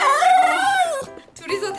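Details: Shiba Inus, a white female and a black-and-tan male, whine in long, high, wavering cries that slide downward. They hear their owner's voice on the phone saying they will stay out overnight, one crying with ears flattened; a person speaks.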